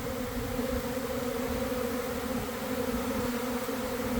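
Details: Swarming honey bees at a hive, some starting to fan as others rejoin the cluster, around one in the afternoon; an even, sustained buzzing hum with two clear steady tones, no pauses.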